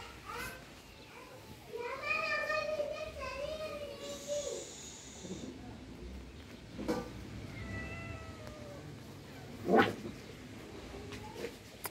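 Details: Cat meowing: a long, drawn-out wavering meow of about two and a half seconds, followed later by a shorter, thinner mewing sound, with scattered clicks, knocks and background room noise.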